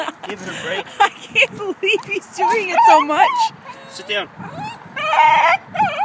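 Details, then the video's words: Two-year-old cream Shiba Inu male, worked up with excitement at a dog park, lets out warbling, rising and falling yodel-like cries and short yelps over a background of human voices. "Shiba Inu Charlie yodels in excitement"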